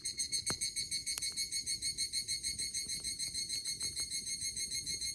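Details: Evening cicada calling on a late-summer morning at a camp in Izu, Japan, beside a crackling bonfire: a rapid, very regular high-pitched pulsing trill, about three pulses a second, with sharp pops from the fire.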